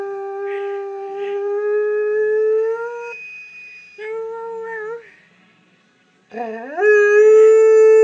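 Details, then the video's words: Moss, a pet lurcher, howls indoors for his greyhound companion Lucy after she is taken for a walk without him; long steady tonal howls with a short break, ending on a higher sustained note. "Moss Howling for Lucy"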